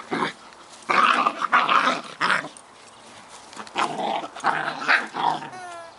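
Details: Playful Scottish Terrier pups, Bonnie and Basil, having fun: a string of short throaty growls and gruff barks, about eight bursts in six seconds with brief pauses between, in a small quiet room.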